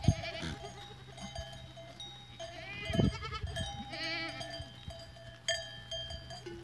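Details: Goats on 14 April 2023 giving several tremulous, vibrato bleats spaced a second or two apart, some higher and thinner, over constant tinkling and ringing bells and occasional low thumps.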